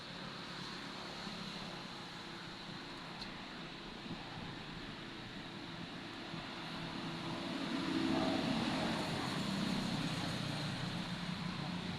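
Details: Steady vehicle and road traffic rumble outdoors, swelling louder after about eight seconds, with no animal voice heard.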